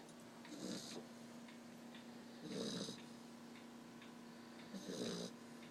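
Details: Black Labrador Retriever puppy asleep and snoring, worn out after the day; three soft breathy snores about two seconds apart, each with a hissy high edge, over a steady low indoor hum.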